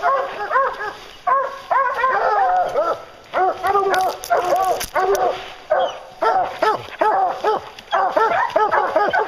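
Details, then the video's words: Hounds on a bear hunt, baying in a dense chorus of overlapping harmonic barks and drawn-out bawls in bursts about one second long, several dogs calling at once with brief pauses between volleys. "Bear Hunting with Hounds"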